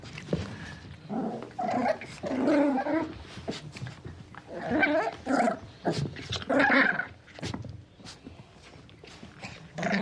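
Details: Puppy growling and barking: throaty, rasping growls rise and fall in bursts, broken by short sharp yaps, with quieter pauses between the bouts.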